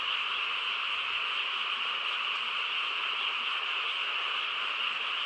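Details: Countless frogs calling together through a quiet night in the countryside, their voices blended into one continuous, level hum that never breaks or swells.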